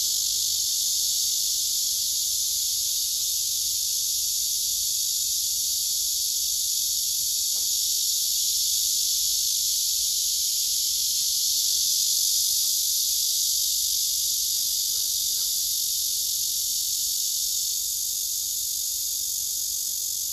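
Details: Male cicada singing on a tree beside rival males and other cicadas, captured by phone: a steady piercing buzz throughout, with a few faint soft taps and rustles underneath midway.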